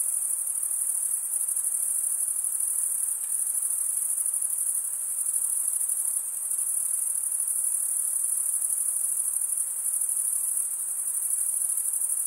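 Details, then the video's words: Male crickets chirp by stridulation, scraping wing against serrated wing, producing here a constant piercing high trill, evenly sustained for the whole stretch with a few brief softer moments and no competing noise. "Most relaxing cricket sound for 8 hours"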